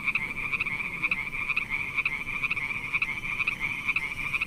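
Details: In the rainy season, a frog in a water channel gives a steady, high, pulsing trill with brighter bursts about every half second.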